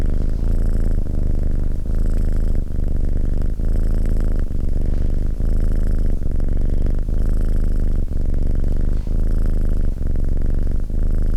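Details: Domestic cat purring steadily: a deep, rumbling vibration that breaks briefly with each breath, roughly every second, in a continuous rhythmic loop with a faint higher hiss above.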